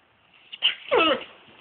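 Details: Zander, a Great Dane, gives a brief, high whining yelp that slides downward, waking his owners at 6 am as he does every morning.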